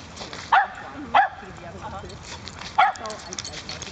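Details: Single high yips, two close together then one more after a pause, from a Cardigan Welsh Corgi puppy romping with assorted breeds at a dog park, over steady outdoor background noise.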